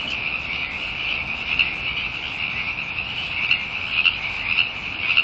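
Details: Frogs calling loudly together: a dense, continuous high-pitched trilling chorus with no gaps, from many overlapping callers.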